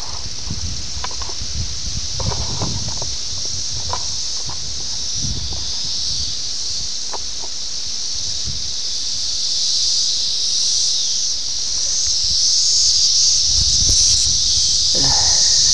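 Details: Periodical cicadas, the 17-year Brood X emergence near Ayersville, Ohio, on June 18, 1987, captured on VHS. A dense, shrill, buzzing chorus builds steadily in loudness, with scattered ticks and low bumps.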